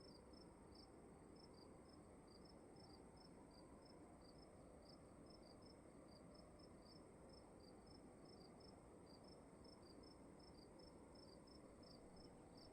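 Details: Crickets in a room at night, quiet bright chirps repeated in quick pairs and groups, set against a steady low background hum.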